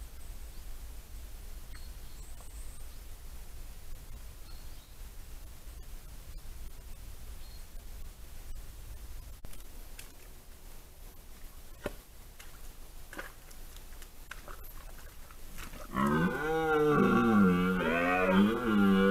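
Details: A red deer stag, caught on a trail camera during the 2023 rut, gives a deep, rough rutting roar that swells up after a long quiet stretch.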